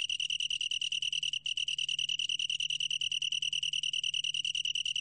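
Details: Long-tailed tree cricket from the National Institute of Biological Resources, 2020: a high, steady ringing trill of rapid even pulses with a faint overtone above, briefly breaking off once near the start before resuming unchanged.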